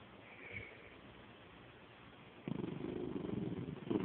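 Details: Pet dog Penny playing with her stuffed animal indoors; after a quiet stretch, a steady low pulsing growl starts midway and carries on, rough and throaty, to the end.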